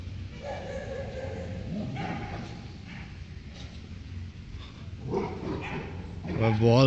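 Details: A male Labrador Retriever gives a few sharp barks and yips, louder toward the end, at another dog while playing ball, over a person talking.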